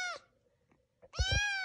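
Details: Lone foster kitten, companions away at the vet, gives two meows: a brief falling one, then after a pause a longer level cry, with faint thumps underneath and quiet surroundings.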